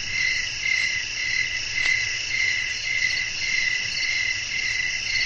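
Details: Crickets singing at night, a bright high-pitched ringing that beats in steady pulses, with one brief faint click near the middle and a quiet low hum beneath.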